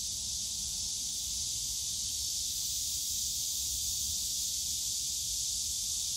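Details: Summer cicada chorus from the bamboo forest of Yongsan Family Park, a dense, continuous sizzling buzz at high pitch with no pauses, over soft low-pitched ambient park hum.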